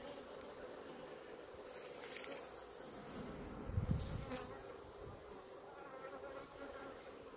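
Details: Steady, low, humming drone from honey bees at a hive in Maine-et-Loire, France. Two brief clattering knocks stand out partway through.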